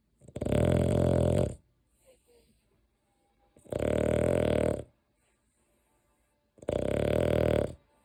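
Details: Deokgu, a pet dog, snoring in its sleep; three loud, harsh, buzzing snores, each about a second long, come roughly every three seconds with near silence between them.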